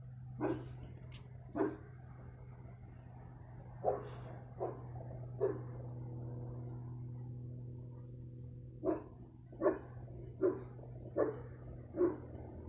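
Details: A dog barking on 15 February 2020: about ten sharp single barks come at uneven intervals, some in quick runs, with a long quiet gap midway. A steady low mechanical hum runs underneath throughout.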